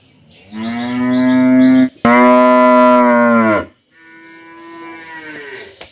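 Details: Village cows in summer give loud drawn-out moos, two strong ones back to back, then a softer, lower moo trailing off, with no other clear sounds.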